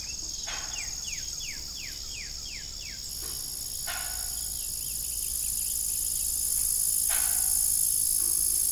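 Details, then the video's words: Crickets chirping in the evening on an old farm beside a disused, rusty windmill: a steady high-pitched shimmering chorus, a quick run of about eight falling squeaky sweeps early on, and a few sharp broadband knocks. "Evening Cricket Sound"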